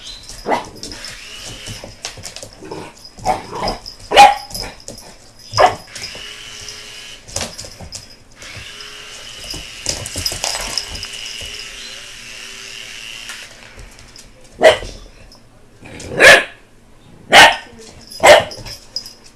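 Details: American Bulldog puppy reacting to a helicopter: scattered barks early on, then a stretch of steady rumbling noise, followed by four loud, evenly spaced barks near the end, with human voices throughout.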